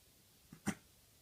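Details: A Maine Coon kitten, just after neutering, hiccups once: a soft catch and then a sharp, breathy jolt. The hiccups came days before severe cat flu that nearly became pneumonia.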